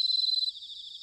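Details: Autumn bell cricket song from Sanuki, Chiba, Japan: a loud, rapidly pulsed high ringing trill for half a second, then softening into a quieter continuous shimmer of other crickets.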